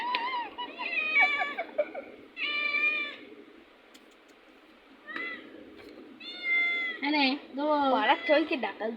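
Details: Playful domestic cat giving a run of varied meows, some short and chirping, others drawn-out and wavering, with a human voice heard between calls indoors.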